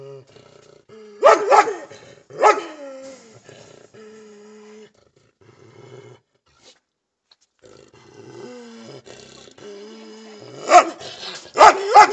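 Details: A German Shepherd and a Belgian Shepherd bark together in loud, sharp bursts between drawn-out whining tones.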